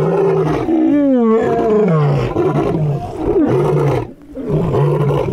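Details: Lion roaring: a long swelling moan that rises and falls, followed by a run of deep, throaty grunting roars in quick succession.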